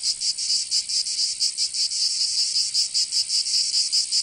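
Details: Cicadas calling in a southern French summer in Provence, a bright metallic rasp beating in distinct pulses roughly four per second, loud and unbroken.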